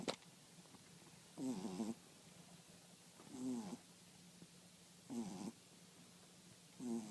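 A French Bulldog snores in rough, rattling bursts about every two seconds, with a low steady hum behind.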